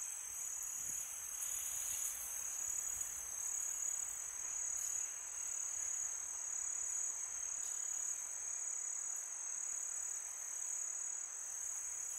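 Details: High, unbroken cricket trill carrying through a calm summer night, bright and steady, with faint brief ticks and a low soft rush of wind underneath.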